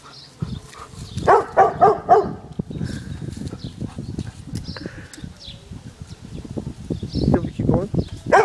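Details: Dog barking at balloons on the garden fence: a run of three harmonic barks spaced about half a second apart, set against steady low rumbling, wind-like noise throughout.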